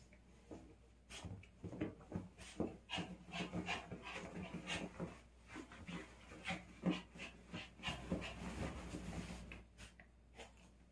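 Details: Pet dog playing excitedly with a toy doll it is attached to, panting in quick irregular bursts of breathy huffs and snuffles, about three per second, with rubbing and thumping noises from the play indoors.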